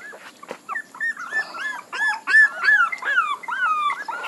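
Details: Puppies whine in loud, closely spaced cries, each rising then falling, repeated almost three times a second with a faint click early on.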